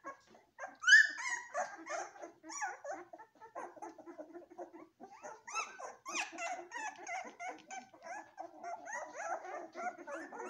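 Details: Several Golden Retriever puppies whimpering together indoors, thin wavering whines and squeaky yelps overlapping almost continuously, louder bursts near the start and again toward the middle.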